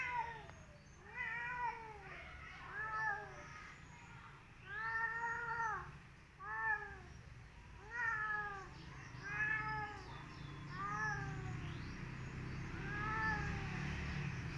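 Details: Orange striped tomcat called Belang, a visiting male and mate of the pregnant cat Mak Bumbul, said to yowl noisily every day; about ten arching, harmonic meows, roughly one every one to two seconds, with faint room noise.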